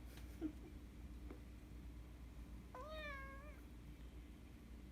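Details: Persian Chinchilla kitten named Kkung, a household's second cat, filmed in its baby days, gives one clear meow under a second long, rising sharply at the start, then held level and easing down, over a steady low indoor hum.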